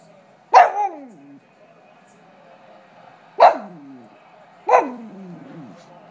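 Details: A pug that dislikes football on TV barks while the game plays, filmed on an iPhone 4: three sharp barks, each trailing into a falling whine, the last two close together, with quiet room hum between.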